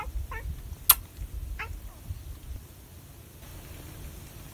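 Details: A calico cat licking chicken purrs in a low, steady rumble, broken by a few brief chirping mrrp sounds and a sharp click early on, then the purr fades out.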